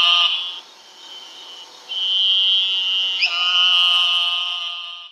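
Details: Eastern narrow-mouthed toad giving high, nasal, buzzing bleats with stacked harmonic bands. A short buzz is followed by a pause, then a long steady buzz of about three seconds with a brief break midway. The background is otherwise quiet.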